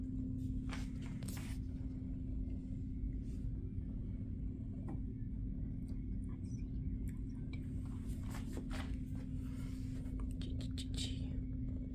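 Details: A constant low electrical hum and rumble runs throughout, with scattered light knocks and handling clicks and no animal calls.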